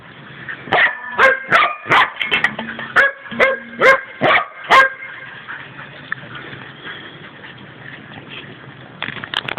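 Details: Male Border Collie trick dog wanting his dinner barks about nine times in quick succession over five seconds, short sharp yelps with ringing overtones, then falls quiet apart from faint rustling.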